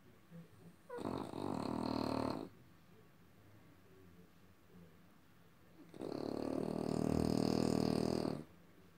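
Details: French Bulldog producing two drawn-out, buzzy, snore-like grunts, each about two seconds long and spaced roughly three seconds apart, with faint room noise between.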